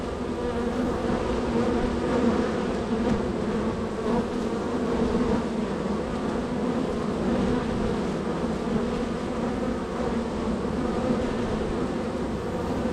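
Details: Crowded honey bee hive entrance, bees very active arriving and leaving; an even, continuous low hum of many wingbeats with stacked harmonic tones and no other sounds.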